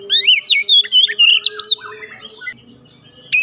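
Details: Kept Oriental magpie-robin sings a rapid run of looping whistled notes for about two seconds, then trails off into softer lower chirps before one final sharp note.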